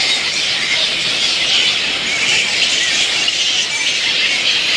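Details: At dusk, a roosting camp of little red flying foxes fills the air with shrill, tangled squealing from many bats at once. A thin whistled note briefly rises over the unbroken high chatter.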